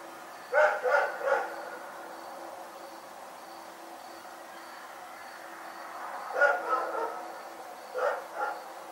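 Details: Rex the dog barks through the night. Three fast barks open, then silence for about five seconds, a triple bark and finally a double bark, over a faint steady hum.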